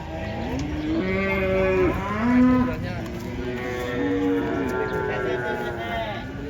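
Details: Cattle coming down off a truck during unloading: a series of deep, strained moos, some bending upward in pitch, others held steady, with a low vehicle rumble underneath.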